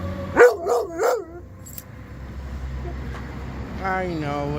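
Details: Weimaraner answering fire truck sirens in Chagrin Falls on a February 2025 walk: three quick rising yelping howls in the first second, then a person speaking softly against a low rumble.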